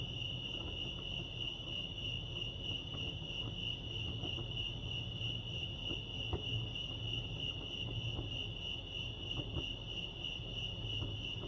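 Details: Crickets chirping at Lake Arrowhead, California, in the wild: a steady, high, finely pulsed trill runs through the whole stretch without a break, over a low rumble of background noise with faint scattered clicks.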